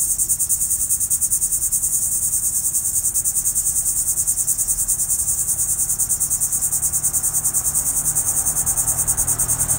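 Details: Trees humming with a dense cicada chorus: an intense, sizzling high buzz throbbing in steady rapid pulses around three per second, unbroken throughout, with faint low background rumble.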